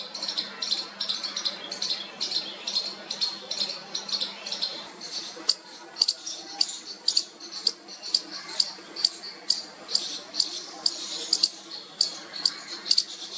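A baby squirrel gives rapid, high, scratchy chirps in quick repeated bursts, calling to its mother.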